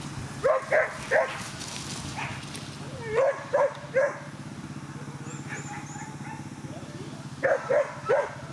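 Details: Whippet at a coursing event, the Twin Cup 2017 in Latvia: short sharp barks in quick bursts of two or three, pausing between groups, over a steady low hum and crowd murmur.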